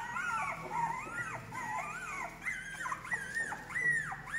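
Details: Female English Cocker Spaniel puppies ready to go to new homes in August 2022, whining continuously in high, arching, wavering cries that overlap one another in quick succession.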